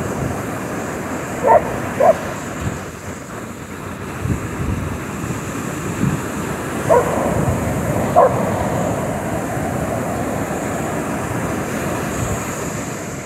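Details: Milli, a Border Collie, chasing waves at Cemetery Beach on 29 August 2023: four short, sharp barks, two near the start and two later, over steady roaring surf and wind.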